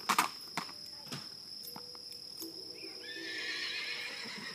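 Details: Nine-year-old palomino Tennessee Walking Horse mare, freshly shod, neighing: after a few hoof thuds, a long shrill whinny with wavering harmonics rises and holds for over a second, over a steady high electrical whine.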